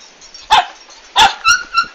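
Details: Two loud, broad barks from a Komondor, 11 March 2016, during a big move, followed quickly by two short, high whining yelps.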